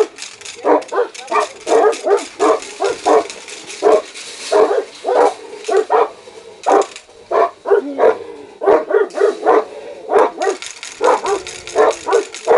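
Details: Aggressive Saint Bernard and Caucasian dogs barking steadily: rough barks repeated about every second and a half, sometimes in fast doubles, with scattered yips among them.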